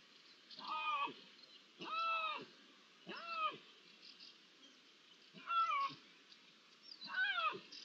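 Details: Iberian lynx meowing, 16 June 2023, ambient sound: five clear arched meows, each rising then falling with bright harmonics, spaced about one to two seconds apart over a steady low hiss.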